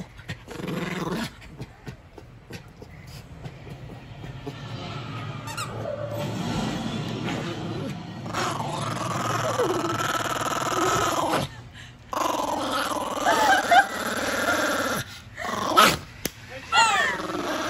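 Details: Kody, a Schipperke, guarding his new toy, a stuffed raccoon called Mr. Racoon, growls protectively. A sustained, rumbling low growl swells and fades in long stretches with short breaks, and sharper higher sounds and handling noises come near the end.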